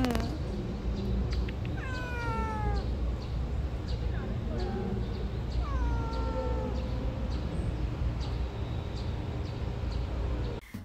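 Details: Hungry street cats, a calico and a mackerel tabby, being fed outdoors in June: two clear descending meows with strong harmonics several seconds apart over steady low background rumble, a woman's voice between them.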